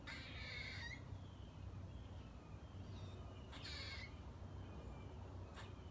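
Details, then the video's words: A squirrel eating a nut in a front-yard tree gives harsh, raspy squeaks in short bursts over a steady low rumble. Identified as a squirrel. "Cute Squirrel Squeaking & Making Loud Sounds While Eating A Nut😍"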